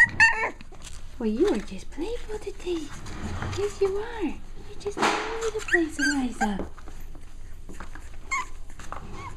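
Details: During playtime, six-week-old pups let out a thin opening whimper followed by lower, drawn-out wavering moans and grumbles, with a human voice and rustling in the background.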